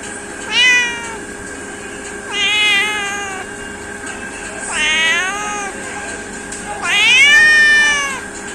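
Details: Cats and kittens meowing: four drawn-out, harmonic meows spaced about two seconds apart, some rising then falling, over a steady background hum with faint tonal bands.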